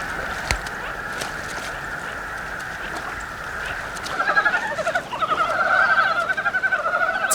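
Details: Frogs, newly awakened from hibernation and seeking mates in a forest valley stream in Korea, croak in quick, rattling pulses that build into a busy chorus, with a steady mid-pitched hum beneath.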